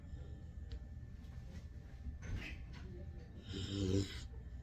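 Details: Remo, a husky mix dog, asleep and snoring: soft breathy sounds give way to one louder rasping snore near the end, with a fluttering low buzz and hiss, against steady room hum.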